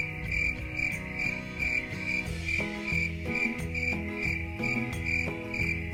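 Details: Crickets chirp in quick high bursts, a little over two per second, while relaxing instrumental music with a clear melody and bass notes plays prominently underneath.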